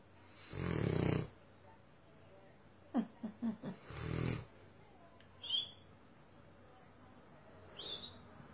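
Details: Tosa Inu called Myah: two heavy rasping breaths framing a quick run of short whimpering yelps, followed by two faint high squeaks.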